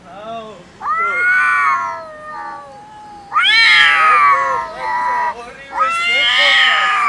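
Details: Domestic cats fighting over food that they will not share; loud, harsh, wavering yowls come in long bursts with short gaps, each rising and falling in strained, nasal tones.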